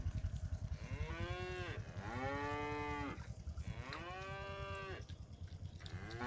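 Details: Docile village cattle heading home to their pen, three clear drawn-out moos with rising then falling harmonics, separated by short gaps, over low rumble.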